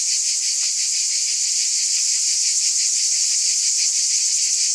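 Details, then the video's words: Cicadas in a steady, high, shrill buzzing drone that never pauses, with a faint pulsing throb woven underneath and a few soft ticks; no other sounds. "Scintillating Cicadas"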